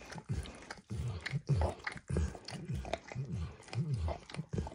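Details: Max, a pet dog, licking a bumpy orange mat smeared with food: close, wet, low smacking laps in quick uneven bursts, about one and a half per second, with short pauses between runs and no talking.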